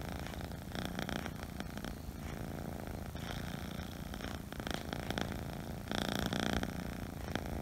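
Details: Low continuous rumbling purr from a Scottish Fold kitten, broken by soft rustling and handling noises, with a louder burst of movement near the end.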